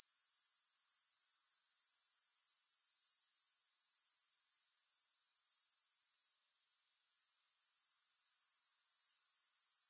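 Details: Steady, piercing grasshopper chorus, a thin high buzz pulsing rapidly and evenly, with a gap of about a second late on before the trill gradually returns. Nothing else audible.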